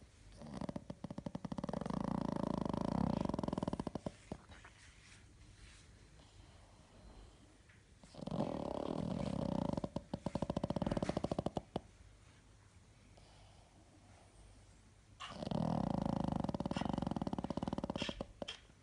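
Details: Sleeping pug indoors gives three long, low, rattling snores about every seven seconds, each lasting three to four seconds, with quieter snuffling breaths between them.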